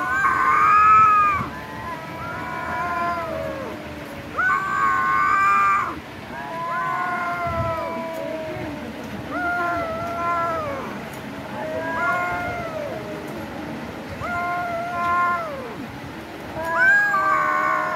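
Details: A kitten eating raw chicken meows repeatedly, about six drawn-out harmonic mews with a rising then falling pitch, spaced every two to three seconds, over soft background music.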